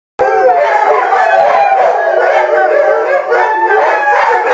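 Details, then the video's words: Rhodesian Ridgeback howling, described as singing for its supper: a sustained, wavering, multi-toned howl held steadily throughout with no pauses. "Rhodesian ridgeback song"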